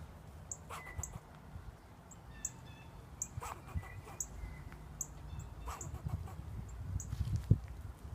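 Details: Squirrel barking at a person sitting outside: short, sharp, clicky barks repeated irregularly about every half second to a second, with faint thin bird chirps and low rumbling background noise.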